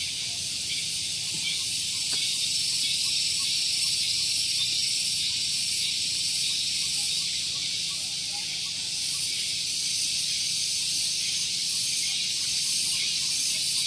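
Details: Morning cicada chorus at Gunung Geulis in Bogor, West Java, recorded near a parking area. A steady, piercing high-pitched drone runs throughout, swelling gently with soft rhythmic throbbing.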